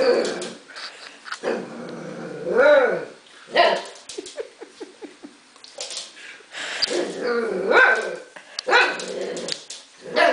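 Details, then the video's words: Husky puppy Arya producing wavering, talkative howl-like yodels and rising-falling whines mixed with short barks and growly notes, roughly irregular bursts across the recording. "husky puppy Arya"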